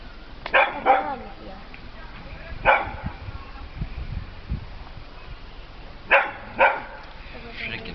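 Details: Pet dog Peppie, scared of a small cat, lets out short sharp yips in pairs and singles, spaced a few seconds apart, amid soft human voices and low background rumble.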